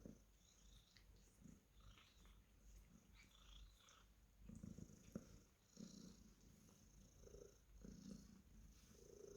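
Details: Cornish Rex cat being petted, giving a quiet, uneven purr: low rumbling bursts that swell and fade irregularly, strongest in the second half, with light rustling noises.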